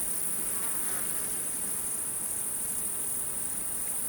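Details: Wild insects sing at night in an unbroken, thin, very high ringing buzz that stays level throughout, with low diffuse noise beneath.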